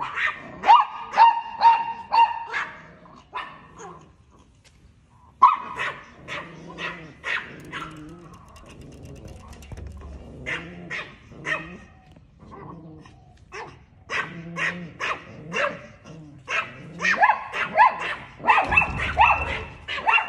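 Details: Chihuahua yapping at a cat, with rapid volleys of shrill barks at the start, a brief near-silent pause, then scattered barks and rustling, ending with another fast burst of high yaps.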